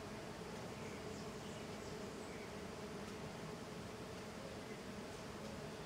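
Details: Many small golden stingless bees (Tetragonisca angustula) busy outside the hive make an even, continuous buzzing hum. Layered drone, steady in loudness, with no pauses.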